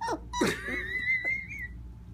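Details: Young Cocker Spaniel pup giving its first howl: a thin, high-pitched whine drawn out for over a second, rising slightly and holding steady, preceded by brief voice sounds.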